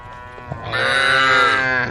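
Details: Tame female cow from a group on the road, calling the herd: one drawn-out, richly harmonic moo of about a second and a quarter that holds level pitch and ends abruptly, over a quiet low rumble.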